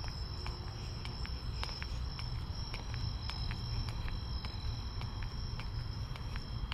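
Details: Nighttime crickets along a walk to a store, giving one continuous, even high-pitched trill without pauses, while evenly spaced footsteps tap through and a heavy low hum of city ambience sits underneath.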